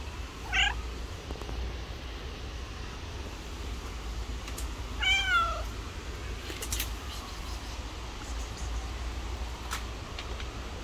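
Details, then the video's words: Aggressive pregnant stray cat living on the street, attacking another cat; two short strained meows, one near the start and one midway, over a steady low rumble of traffic noise. "Aggressive Pregnant Cat Attacks Other Cat."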